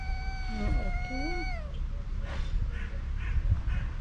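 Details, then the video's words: Hungry mother cat and her kitten calling for food: one long, level, rich meow lasting about one and a half seconds with short wavering cries under it, followed by a person's low coaxing voice and soft rustling. "Mother cat and kitten meowing loudly for food"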